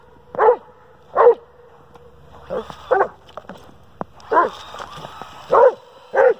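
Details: Domestic Dobermann Pinscher that hates a radio-controlled toy car, barking at it: seven loud barks in irregular bursts, a few softer yelps between them, plus clicks and a sharp tap.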